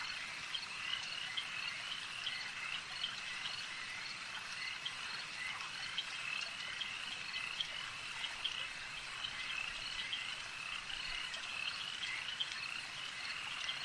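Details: Frogs calling at a lake form a dense, steady chorus of high, overlapping trills and croaks, with many callers blending into a continuous shimmering wall of sound and no single voice standing out.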